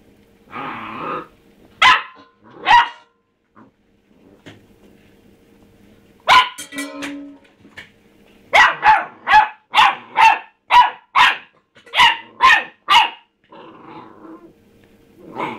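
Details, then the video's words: Pet dog named Rusty, a pup, barking at his empty food bowl; sharp barks in bursts, two early, then a long rapid run of about ten barks with brief pauses, faint hum beneath. "rusty barking at his bowl"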